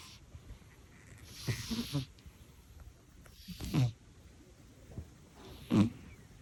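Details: Sleeping elderly house cat snoring quietly: three low, throaty rasping snores about two seconds apart, each a short rattle with soft breathy hiss, separated by near silence.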